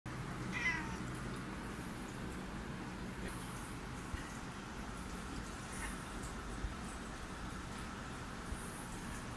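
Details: Black and white female cat with a sore throat giving a hoarse, faint meow near the start, followed by quiet, brief rasping sounds over a steady low background hum.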